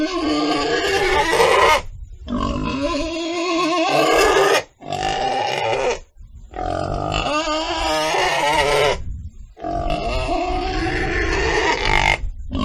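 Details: Pig giving long, loud, harsh squealing cries, each lasting two to four seconds with brief silent gaps between, strained and tonal with a rough edge throughout.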